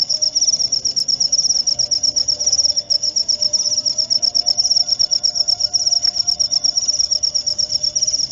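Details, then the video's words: A cricket's shrill, evenly pulsed chirping continues without pause, bright and insistent, over a soft low hum. "Suara Jangkrik untuk pengusir tikus & therapy insomnia"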